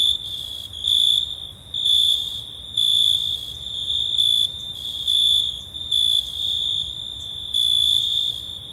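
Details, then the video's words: Summer-night crickets giving a continuous high thin trill that swells into louder chirping bursts roughly once a second, each burst ringing with faint upper harmonics over a hushed background. "Cricket Sounds"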